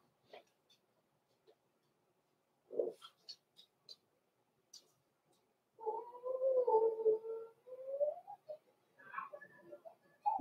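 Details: Blenheim Cavalier King Charles Spaniel puppies, born November 14, 2022, from a small litter in an indoor puppy pen at Christmas; a few soft squeaks, then a sustained, wavering tonal whine lasting about three seconds, followed by shorter whimpers.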